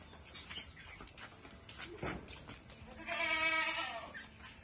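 A goat gives a single loud, wavering bleat, nasal and rich in harmonics, after some faint background noise.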